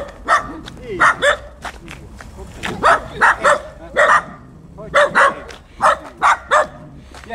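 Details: Huskies and Malamutes playing outdoors during morning exercise; a quick run of about a dozen short, sharp barks and yips comes in clustered bursts, with a person talking to the dogs in between.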